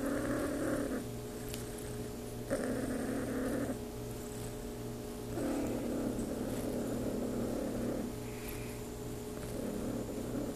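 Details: Claude, a RagaMuffin cat, purrs contentedly during petting, with low rumbling pulses alternating in roughly one-and-a-half-second breaths, quiet and close, over a faint steady background hum.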